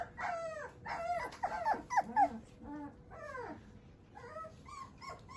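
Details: Soft whimpers and whines from a male Shiba Inu puppy with a JKC champion father. Wavering, drawn-out cries are mixed with a few short yips, fading to quieter squeaks at the end.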